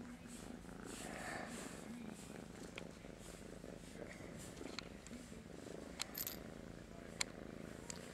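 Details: Groggy morning purring from Master Shifu, a pet cat seeking attention: continuous rough, pulsing rumble throughout, with faint room noise and small clicks.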